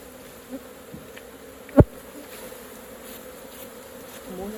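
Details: Colony of honey bees buzzing as their hive is opened for honey extraction; a steady low hum with two faint tonal bands, broken once by a loud sharp knock and a softer earlier tap.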